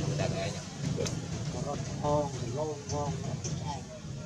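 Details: Infant monkey Jinx crying "jich jich" while begging mother Jade for milk during weaning, in forest of the Angkor Park area; a run of short, wavering, harmonic whimpers rising and falling, over a steady low engine hum.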